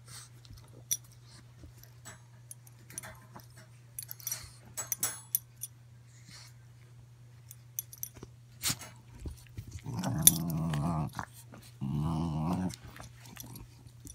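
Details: Two Boston Terriers, a bigger adult and a 7-week-old puppy, wrestling and playing tug of war indoors; scuffling and paw taps, then two rough low growls near the end, each lasting about a second, over a steady hum.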